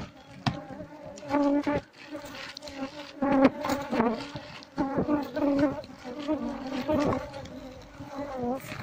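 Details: Asian honey bees from a wild colony under a septic tank being transferred into a hive box; a sustained humming buzz swells and fades, overlaid by sharp knocks and nearby speech.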